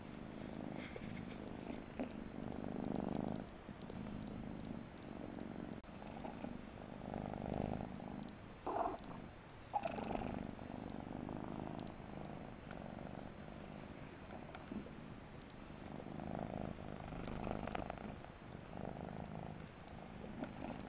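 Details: Mariah, a Persian kitten, purrs in a low, pulsing rhythm that swells and fades, with occasional faint clicks over the drone.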